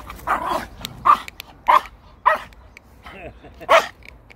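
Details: Pomeranian on a walk, a timid dog said to be scared of other dogs, giving a series of short yappy barks about every half second to second, with a woman talking to it in Korean between barks.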